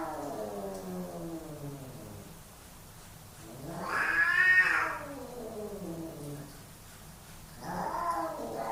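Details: Two male house cats fighting for dominance indoors: long wavering yowls with stacked harmonics, a low drawn-out moan sliding down, then a louder rising shriek mid-clip and another rising wail at the end.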